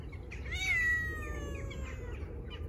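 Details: Stray tabby cat, fed on the street, wanting affection rather than food, gives a single drawn-out meow, rising then slowly falling and fading over about two seconds, over a low background rumble.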